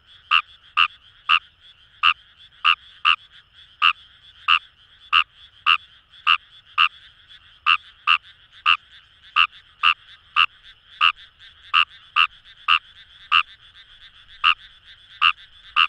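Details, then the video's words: Long steady run from a wild Kawamura's rice frog in Kamo River paddy fields, Itoshima, Japan: about thirty clipped croaks at a brisk, fairly even two-per-second pace, over a soft murmuring chorus of other frogs. "Wild Frog Call | ヌマガエル"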